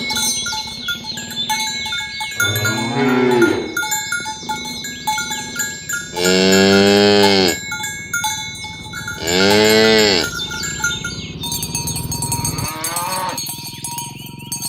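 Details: Dozens of fat, tame village cows herded along village roads in the morning toward the pen. Four long, deep moos with rich harmonics, the middle two loudest, over steady ringing cowbells.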